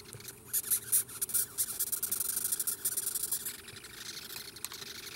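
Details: Giant red velvet ant, a wingless wasp called "cow killer", filmed close up before being set free: bursts of rapid, high, scratchy squeaking pulses crowd the first half, then thin into scattered faint ticks.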